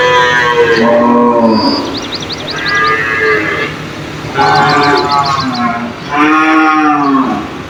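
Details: Cattle in a cage call back and forth, their deep drawn-out moos rising and falling and often overlapping, while quick high chirping bursts sound twice in the background.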